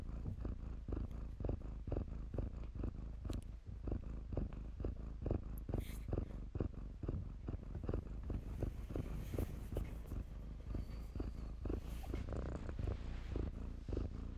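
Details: Kittens tumbling in blankets at a shelter purr in a steady low rumble with regular breath pulses, while faint voices and soft rustling sound in the background.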